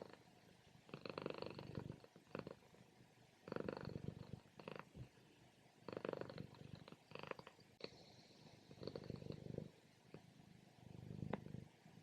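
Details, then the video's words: Female house cat asleep in her morning nap, loud purring or snoring in long rhythmic swells, each lasting about a second and repeating every couple of seconds. "From Purring To Snoring | Relaxing Cat Nap"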